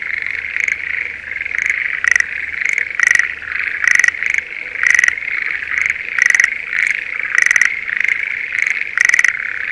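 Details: Schlegel's green tree frogs in breeding season give short, rattling trilled calls about once a second over a steady chorus, in a spring rice paddy near Sendai, Japan.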